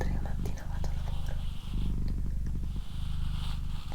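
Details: Female pet cat Doroti purring close up in a small room: a deep pulsing rumble with brief dips where she breathes in, overlaid by gentle whispering.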